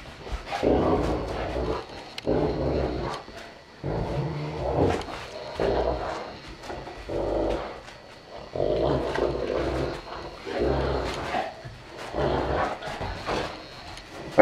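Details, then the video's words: Two Saint Bernards, parent Joseph aged four and young Stitch aged one, indoors, giving a series of low, rumbling growl-like vocal bursts, each about half a second to a second long, roughly ten across the stretch with short pauses between. "Parent and child of a Saint Bernard"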